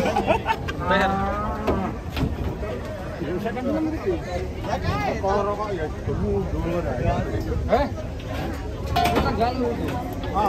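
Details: A giant sacrificial cow being unloaded from a truck: several drawn-out, harmonic moos rise and fall across the clip, overlapping with people's voices and chatter nearby.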